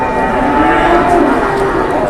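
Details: Cattle at a livestock market where traders bargain: a brief, faint tonal lowing sits under dense crowd murmur and nearby speech.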